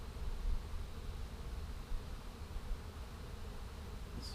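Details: A probably feral swarm of small honey bees, being caught and pouring into a hole to build, makes a steady, low droning hum, thick and continuous with no breaks.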